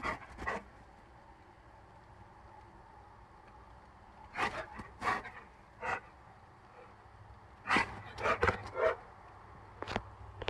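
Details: Two Rottweilers, a five-month-old and a five-year-old, playing together: short, harsh, rough growly bursts come in clusters, one near the start, several in the middle and a dense run near the end, with quiet gaps between.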